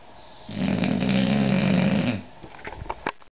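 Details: An English Bulldog snores during an afternoon nap, with a deep, rattling, buzzy breath that fades into softer snuffles.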